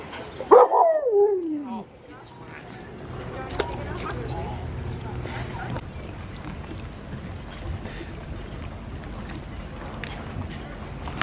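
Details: Female Alaskan Malamute Sojou, excited while watching people fish and hoping for a maggot treat, gives one loud harmonic yelp that slides downward in pitch over about a second near the start, then outdoor ambience with faint voices.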